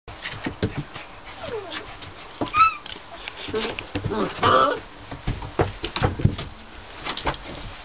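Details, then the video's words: Border Collie puppies almost eight weeks old, on their last night together in a kennel with fresh straw in the whelping box, giving short high whining whimpers twice among rustling straw, scuffling and a human voice. "Border Collie Pups Last Night Together"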